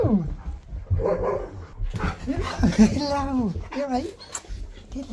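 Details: A husky welcoming its best friend to its new home makes a series of arching, tonal 'talking' howls, each swooping up and then down, overlapping a person's speech and room noise.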